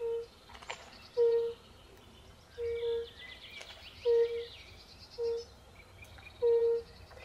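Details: European fire-bellied toads (Bombina bombina) calling by a forest pond alongside pool frogs: soft, low, pure hooting notes repeated roughly every second and a half, with twittering birdsong above.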